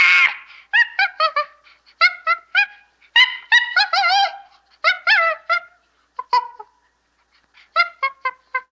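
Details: Chimpanzee chattering: rapid runs of short, hoarse, harmonic yelps in clusters of three to five, broken by brief pauses, with a few softer isolated calls near the end and a quiet background.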